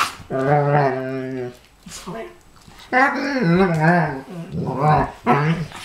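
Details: From the Pharaoh Hound and Ridgeback pair, jokingly attacked by Chewbacca: a steady one-second moaning growl, a pause, then a longer warbling, pitch-wobbling grumble and a final short yelp-like burst.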